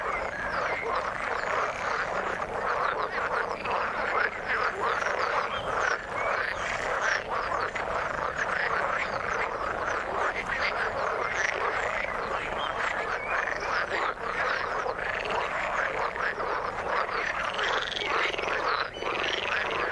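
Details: Many frogs in the water croaking together in a thick, steady chorus of fast rasping notes, with no clear pauses and a few brighter chirps standing out near the end.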